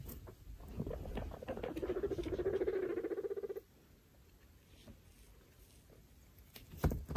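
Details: Baby foster guinea pigs Pinto Bean, Taco, Churro, Billy and Queso with their mother Chalupa exploring a freshly cleaned cage; a low, throbbing pulsed rumble for about two seconds, then quiet with light shuffling and a few clicks.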